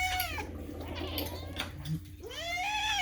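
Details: Adopted pet cat, Moo or Daisy, indoors: a brief tonal call at the start, then a rising, curving meow near the end, with rustling and a quiet human voice in between.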